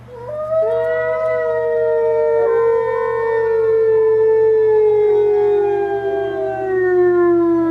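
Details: Grizzer, a captive gray wolf, gives one long, mournful howl sliding from high to low at the gate to the retired pack's enclosure in late March, howling linked to care staff leaving his enclosure.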